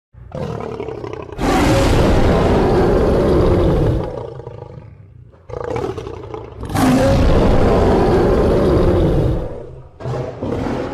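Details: Lion roaring: two long, harsh, broadband roars of about three to four seconds each, separated by a brief pause, with a rough low rumble and a shorter burst at the end.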